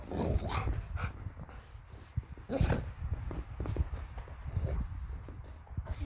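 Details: A Rottweiler playing with a balloon in the snow in Sweden gives a few short, deep barks mixed with muffled thumps and rustling.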